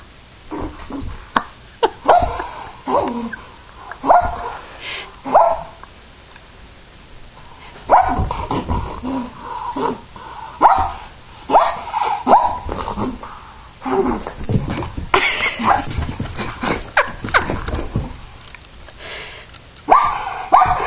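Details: Terrier in a tantrum, barking and whining almost continuously: short sharp barks mixed with drawn-out nasal whines and yips, irregularly spaced, with thumps and scuffling throughout and a constant background hiss.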